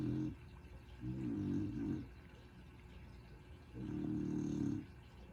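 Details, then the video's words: Sleeping soundly, Willow, a relaxed female dog carrying extra weight, lets out deep, rattling snores about a second long, separated by quiet gaps of two seconds or more. "Willow Snoring"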